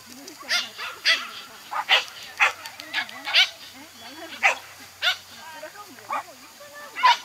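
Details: Toy Poodle on an agility course barking in quick high yaps roughly every half second, mixed with a person talking and calling in the background.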